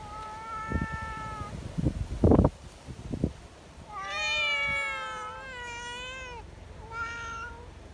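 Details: Community cats gathering together in strong wind, affectionate and wanting petting; one short steady meow, then several long wavering meows overlapping near the end, with thumps and handling noises and low wind rumble beneath.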